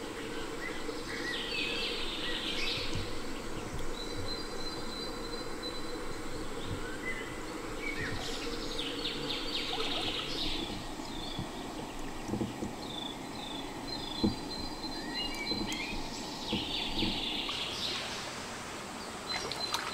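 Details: In a stone cave in rainforest during solo camping, cicadas drone steadily with shrill buzzing surges that rise and fade every few seconds, over faint bird chirps and scuffing camp noises.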